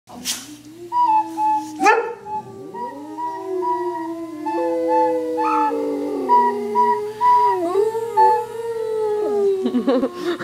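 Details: Pet dog howling along to a recorder being played: drawn-out, wavering tones that slide up and down beneath steady, higher piped recorder notes, with the howls swelling and dipping in loudness throughout.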